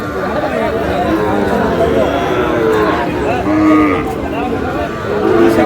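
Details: Sahiwal bull calves at a busy cattle market in Natore, Bangladesh, where a farmer is buying: short, low, tonal moos rise above the steady chatter of a bargaining crowd, with other livestock calling in the background.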